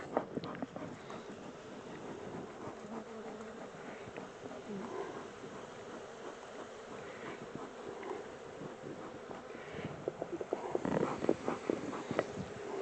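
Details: Honey bee swarm, the second one caught, being moved from a temporary small box into a bigger hive; a steady low hum drones throughout, with scattered clicks and knocks from handling the hive and brief voice traces.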